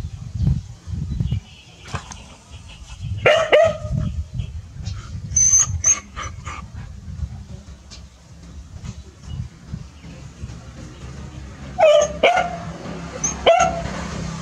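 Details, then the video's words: Two village dogs barking seriously at a snake their family has met: loud sharp barks in bursts around three and a half seconds and again near twelve to fourteen seconds, with shuffling and low rumbling background noise between. "Pao & Rank Are Barking Seriously, SokYaa's Family Meet Snake"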